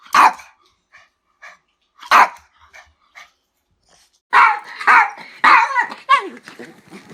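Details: Dog giving a series of barks: two loud single barks two seconds apart, then a rapid, rough run of several barks close together.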